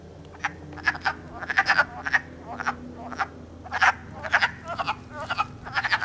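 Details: A chorus of wood frogs during early-spring mating in Elmer, New Jersey, March 3, 2012, captured with an iPod. Several frogs give rapid, raspy clucking notes in clustered bursts over a steady low background hum.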